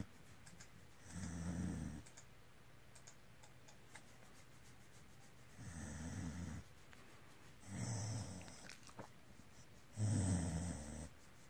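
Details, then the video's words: Dog making a low, rumbling purr-like sound in four breathy bursts, spaced roughly two to four seconds apart, each with a soft hiss on top, recorded quietly indoors. "PROOF that dogs PURR like CATS"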